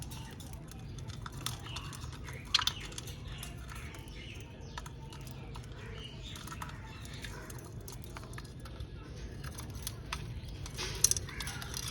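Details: Low steady hum and broadband background noise with a few sharp clicks; no animal calls can be heard.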